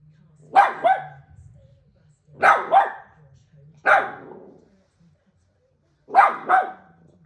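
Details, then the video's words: A female pet dog barks at her own reflection indoors. Sharp, bright double barks come in four bursts, spaced about one and a half to two seconds apart, over a low steady hum. "barking at her reflection"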